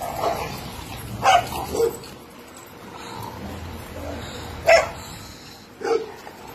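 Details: Barks from a dog kept at a cage-free dog boarding facility in Scottsdale, Arizona: single abrupt woofs spaced irregularly, a pair early on, then two more separated by about a second, over a low room hum.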